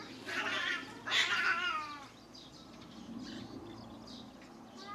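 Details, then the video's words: A cat in a territorial fight gives loud, strained yowls that waver and dip, two strong cries in the first two seconds. Softer growling follows, with faint bird chirps behind. "Epic Cat Battle Videos, Cat Fight"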